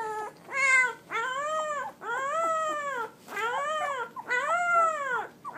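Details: Seventeen-day-old Pit Bull puppies making their first barks, a run of six high, bowed whimpering yelps that rise and fall, repeated roughly every second with brief pauses between them.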